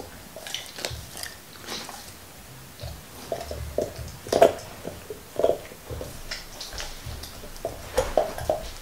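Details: Black Labrador Nixon biting and crunching his favorite beef bone in a small room: sparse scraping gnaws early, then louder cracking bites and lip smacks in bursts.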